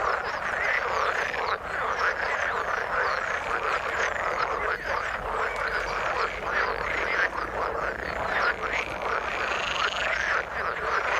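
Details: Croaking frogs in water keep up an unbroken, churning chorus of overlapping pulsed calls, steady in loudness, while thin rising chirps flicker now and then above the mass of voices.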